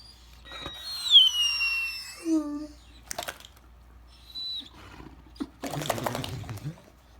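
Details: Max, a lazy Great Dane who hates getting out of bed, yawns and moans: a high squeaky whine slides downward into a low groan, followed by short breathy huffs and a rough, noisy grumbling moan indoors.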